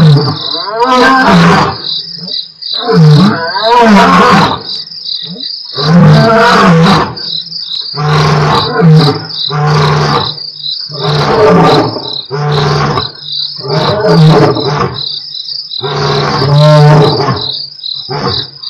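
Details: Two lions of the Mapogo Coalition roar at Nkorho on 12/11/07, captured by an Africam live stream: deep, broadband grunting roars in a series of about ten heavy bursts, with a steady high chirring of crickets throughout.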